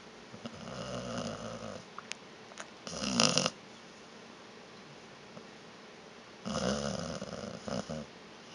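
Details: Sleeping dog named Vita snoring in a small room, three uneven rasping snores, one long, one short and loud, then a long quiet gap before a final drawn-out rattling snore.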